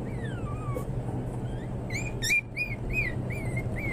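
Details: Pomeranian Toy Spitz (Volpino) puppies, several together, of various colours: a long falling whine opens, then short high arched yips and whimpers follow about every half second, over a steady low hum.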